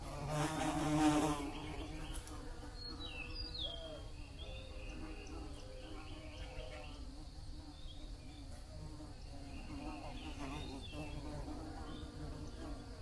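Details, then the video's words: Bee buzzing, a steady layered hum with slight pitch wobble, opening with a brief louder rush of noise, then with occasional faint bird chirps over a low rumble. "Bee Buzzing Sounds"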